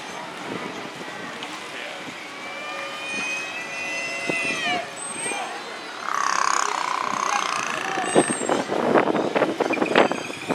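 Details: A captive killer whale (Orcinus orca) at SeaWorld San Diego in May 2017 makes a blowhole vocalization in air during a show: squealing, whistle-like calls followed by a drawn-out nasal buzz.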